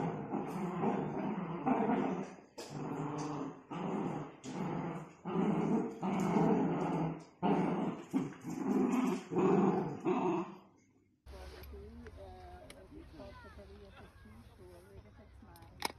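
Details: Miniature Dachshund growling in repeated low, throaty bouts about once a second for some ten seconds, then the growls stop and quieter background sound takes over.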